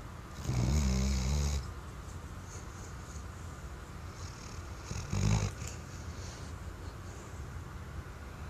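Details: Deep sleep snoring from a Weimaraner: a loud, rattling snore lasting about a second, several seconds of soft breathing, then a shorter snort-like snore.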